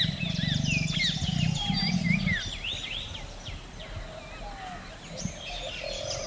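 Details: Bengal tiger yawning in a forest: a low, rough, rapidly pulsing groan over the first two seconds. It fades under a busy chorus of whistled and chirping birds that continues throughout.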